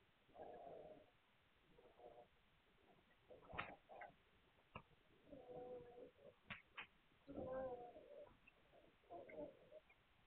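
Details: Young Hungarian Vizsla puppies on 9 March 2021. Short mewing whines, each under a second, recur about every two seconds, mixed with high squeaks and occasional clicks and bumps.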